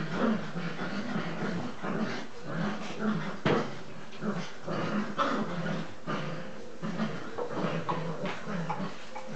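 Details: English Cocker Spaniel puppies, nine weeks old, wrestling during an evening play round: continuous low rumbling growls in short repeated bursts, mixed with scuffling and thumping sounds of the romping litter.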